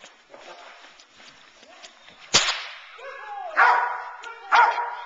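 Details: A nine-month-old Boerboel bitch named Teal, worked in sleeve protection training to sharpen focus and intensity, barks twice in rough bursts after a sharp whip crack, with faint background noise before.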